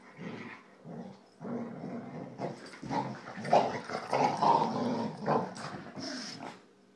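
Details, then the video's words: Boxer playing with two Jack Russell Terriers indoors, rough play with low growling and short barks in irregular bursts, while a person urges the dogs on to go get each other. "Boxer playing with 2 Jack Russell's"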